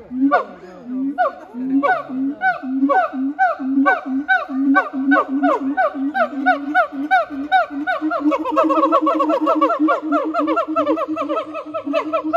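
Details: Two captive siamangs, Heart and Brave, sing together at Chiba Zoological Park, 12 November 2022. Regular deep booms pulse beneath swooping whoops, and the series accelerates into a dense, quickening climax toward the end.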